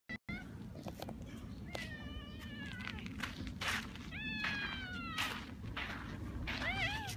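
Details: Red tabby cat in a park that brought a hunted mouse as a welcome gift amid a feud between cat families; several drawn-out, wavering meows with bending pitch, three separate calls over steady low rumbling background noise and outdoor clicks.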